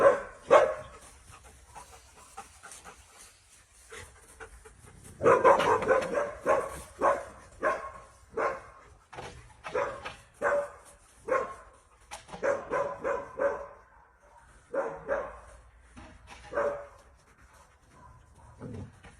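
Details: Alaskan Malamute vocalizing with a series of short, low, hoarse woofs and moaning whine-like calls in uneven bursts, some breathy panting between them.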